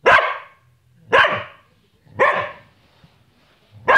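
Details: Samoyed dog barking while talking and playing: four loud, rough barks spaced about one second apart, each a short burst with a low growly onset, quiet pauses between.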